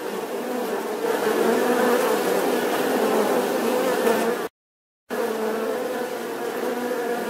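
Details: Bees humming in a dense, continuous drone centred low-mid with bright overtones, steady for about four seconds, then a brief total silence before the buzzing resumes at the same level.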